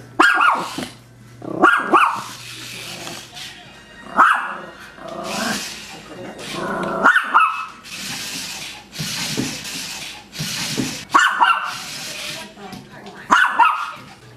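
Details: Playful Maltese puppy barking while playing with a toy spider, sharp high yaps repeated every one to two seconds in small bursts, with rustling, breathy hiss and faint voices between them.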